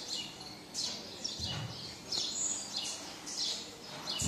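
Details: A baby marmoset wanting its mother lets out shrill chirps and short rising-falling squeaks in quick succession, with a low rustling bump in between.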